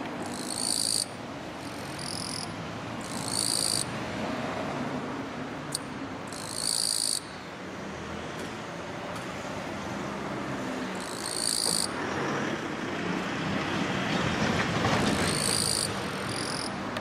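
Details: Raspy "giiiiii … chong!" chirping of a male Gampsocleis mikado hidden in Chinese silver grass, perched on a daylily flower bud, calling a mate: shrill buzzy bursts in irregular series with brief clicks between, against steady low background hum.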